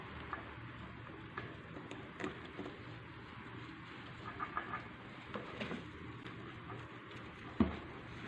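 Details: A hamster holds dry seeds in its hands while nibbling them, making soft, irregular clicks and crunches over a steady hiss.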